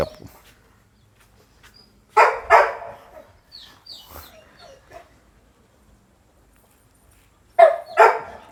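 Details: Red-nose pit bull, a mother with her puppies; two short, harsh barking bursts, one near the start and one at the end, with long quiet gaps between and faint voices in the background.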